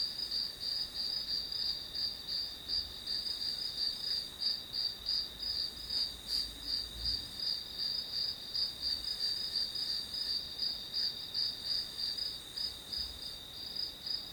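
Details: Steady chorus of grass insects: rapid high chirps, roughly three a second, ride on an unbroken shrill hum, continuing evenly throughout with a faint low thump near the middle.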